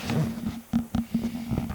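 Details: A pet Italian Greyhound working for her treats gives a short, wavering howl, a sustained tone broken into a few pulsing bursts.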